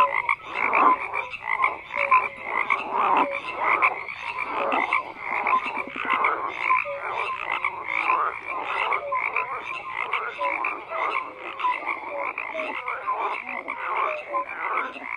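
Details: Dense chorus of croaking frogs, rapid rattling pulses and short tonal notes from numerous callers overlapping, loudness rising and falling but never stopping.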